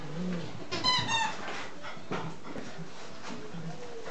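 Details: Nine-week-old English Cocker Spaniel puppies during their evening play and romp session indoors: a short high-pitched harmonic squeal lasting about half a second, with soft low growling grumbles before and after and scuffling noise throughout.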